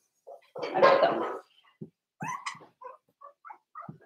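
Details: Pen of four-week-old Cavalier King Charles Spaniel puppies: a loud, wavering squealing cry, followed by a string of small high yips and soft grunts.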